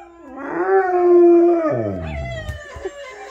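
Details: Household Rottweiler Mylo, answering other dogs' howls, rises into one smooth sustained howl that holds, then sinks into a low rough descending fade, with faint background sounds afterward.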